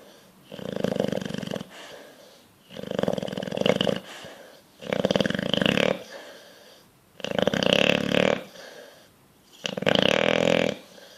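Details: A sleeping bulldog snores loudly while dreaming and twitching. Five harsh, rumbling breaths come roughly every two and a half seconds, separated by softer inhalations.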